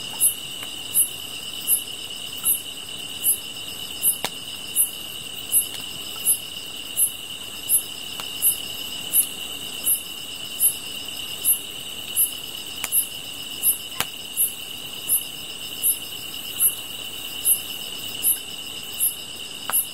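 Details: Grass insects heard while gazing at a fire: an unbroken high ringing buzz under a long run of bright, regular chirps, about 27 in twenty seconds, with scattered soft crackles from the flames.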